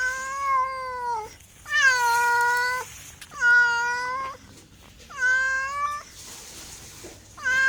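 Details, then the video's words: A domestic cat gives a steady series of long, loud meows, about one every one and a half seconds, each a sustained wail ending in a downward dip. "MEOWING MEOWING - CAT CUTES - CAT FUNNY - SOUND CAT - MEOW CAT 01"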